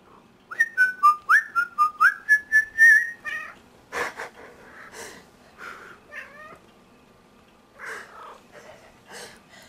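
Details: Ellie, a pet cat, 'singing' along at night as a person whistles; a run of quick rising whistled notes comes first, then drawn-out wavering meows answer, mixed with wheezing laughter.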